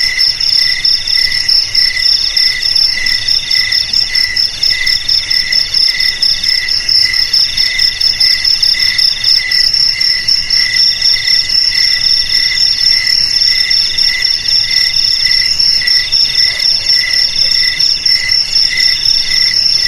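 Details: Cricket singing for a rat-repelling recording: an unbroken, high-pitched ringing trill with rapid pulses and faint rhythmic chirps throughout twenty seconds, clean background.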